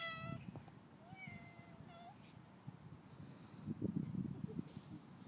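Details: Friendly domestic cat being fed by a neighbour; several short meows early on, one rising at the end, followed by rustling, clinking and feeding noises in a quiet room.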